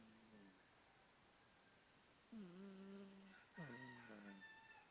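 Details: Domestic cat Bonderez asleep and snoring: a soft early snore, then two stronger ones, each a falling glide that settles into a flat, resonant drone.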